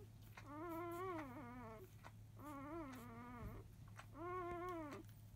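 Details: Newborn field-type Labrador puppies, five days old, raise a fuss at the start of feeding from their mother biscuit. Three drawn-out, quavering whines rise and fall over a low indoor hum.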